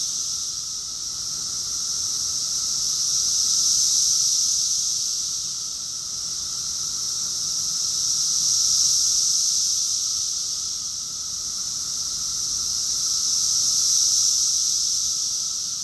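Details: In June 2021 at Rockville, Maryland, USA, a summer chorus of cicadas fills the air with an unbroken piercing hiss-like drone, rising into three broad waves about five seconds apart, each louder crest fading back smoothly.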